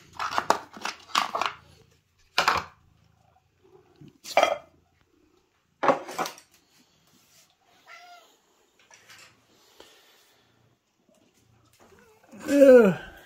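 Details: Cat indoors at breakfast feeding time: a run of dish and cutlery clatter, then near the end one loud, drawn-out meow that bends up and then down.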